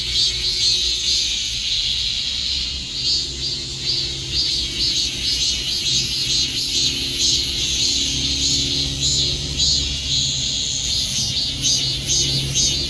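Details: Several cicadas drone together in a loud, high, pulsing buzz that wavers steadily, accompanied by a constant low mechanical hum.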